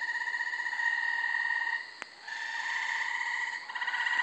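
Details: Gray Treefrogs calling at night in late May from thick brush and trees on a small undeveloped lot in Carolina, Rhode Island; steady overlapping musical trills from several frogs, with a brief click near the middle.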